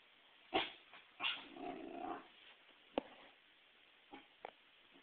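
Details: Pembroke Welsh Corgi, a female pet frightened by a volleyball brought in for herding, gives two sharp barks then a low sustained growl, followed by scattered quieter yips and thumps.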